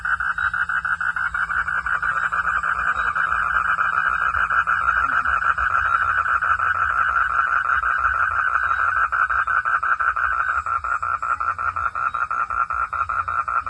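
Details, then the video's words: Frogs at night producing a dense, continuous stream of rapid pulsed notes that runs without a break. The steady mid-pitched pulsing sounds almost like a trill. "frog sound at the night"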